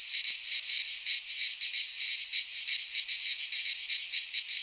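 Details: Midsummer cicada chorus recorded in a pine forest in Greece, a shrill, steady rasping drone with loose, uneven throbbing in loudness and nothing else audible.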